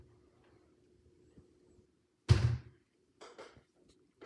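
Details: A quiet indoor room with a low hum, then a heavy thump followed by a few short knocks and rustles; no animal voice.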